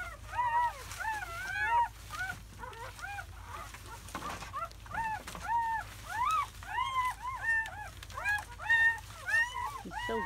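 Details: Seven newborn German Shepherd pups, four boys and three girls, born overnight May 7 to 8, 2017; bursts of overlapping arched squeals and whines from multiple puppies, brief rustling noise midway, calls rising again toward the end.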